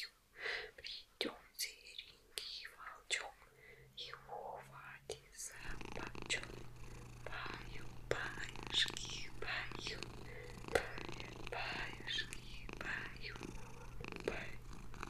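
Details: Maine Coon cat Vasilisa, who loves massage, purring during an ASMR massage with long nails; soft whispering fills the first seconds, then a steady low purr hums beneath light scratching and tapping of nails.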